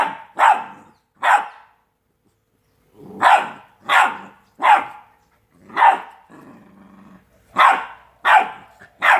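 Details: Two-month-old Rottweiler puppies playing give sharp, yappy barks in irregular bursts, with a soft growly rumble between.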